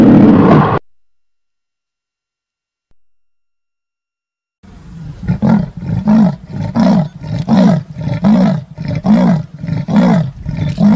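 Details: Big cat's loud roar cuts off abruptly. After a silent gap comes a long run of deep, heavy grunting roars, about one every three-quarters of a second, gradually loudening.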